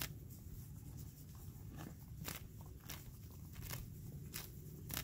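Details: A sorrel gelding grazing in a green pasture on a spring day, with sharp crunching and tearing bursts as grass is pulled and chewed.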